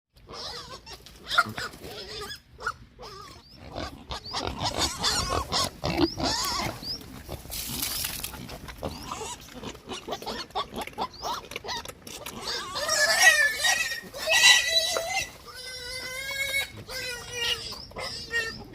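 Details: Hungry pigs squealing in chorus: overlapping harsh, noisy squeals and grunts packed densely throughout, with a burst of shrill, tonal, wavering squeals near the end.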